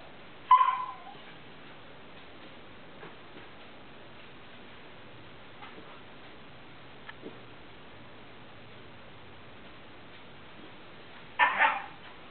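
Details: A Siberian Husky puppy rolling around on the floor gives two brief, strained whining yelps separated by a long quiet stretch, weird noises he makes regularly, even while sleeping.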